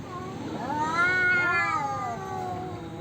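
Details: Male cats in a territorial standoff give a short, rising and falling yowl, moderately loud over a steady background hiss.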